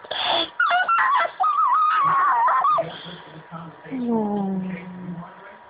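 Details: Boston Terrier named Brodie, a pet indoors, whining because he wants attention: a high wavering whine held for over a second, then a lower drawn-out moan that slides downward. A person's voice is heard at the start.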